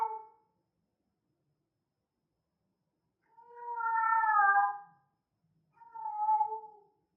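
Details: Female cat in heat, possibly a Persian, giving drawn-out tonal meows: one brief call at the start, then a long wavering wail after three seconds and a shorter one near the end, in a quiet room.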